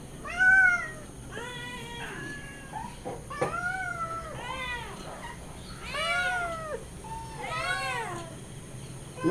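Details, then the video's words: Hungry kittens and their mother cry for milk with a run of arched, rising-and-falling meows every second or so, several voices overlapping, some shrill and drawn out, over a quiet room background. "Hungry Cats and Kittens Scream for Milk"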